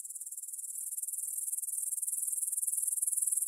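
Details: Meadow grasshoppers near the Svensky monastery in Bryansk, Russia, stridulating at 9pm on 6 September 2020, Tascam DR-44WL stereo: fast, rhythmic high ticking pulses that grow steadily louder.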